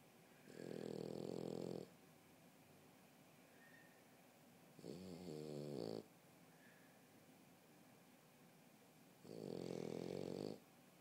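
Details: A French Bulldog sleeping on a couch snores in long, rumbling breaths, each lasting a second or more.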